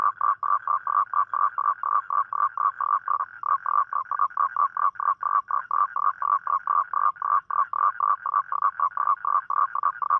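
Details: Night-time toad mating call, given on rainy nights to attract a partner. A fast, steady run of short croaking pulses, about four each second, continues through the whole stretch with little other sound.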